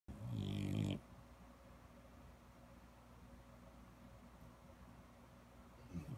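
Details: French Bulldog in Palo Alto, California, grunting and snorting: a loud, low rattling snort for about a second, then quieter steady snuffling breaths continue in the background.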